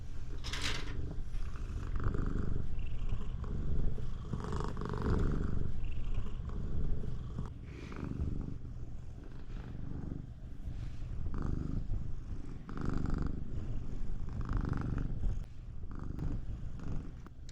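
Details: Siamese cat purring very loudly to stop its owner from taking a bath: a deep, continuous rumbling purr with fast rough pulses and no pauses, rising and falling slightly in strength throughout.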